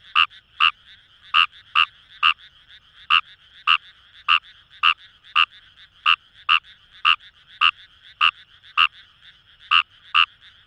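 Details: Fejervarya kawamurai calling in paddy fields along the Kamo River, Itoshima, Fukuoka, Japan: loud, short, croaking notes repeated at an uneven pace, roughly twenty in ten seconds, over a soft chorus of fainter frogs.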